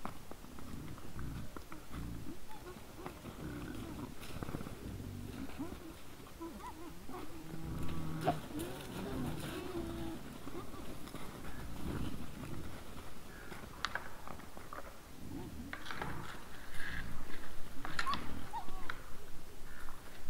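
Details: Several wild boars (Sus scrofa) in front of a trail camera at 20:17 on 17 December 2022 grunt in low, rough, rumbling bursts that run together almost continuously.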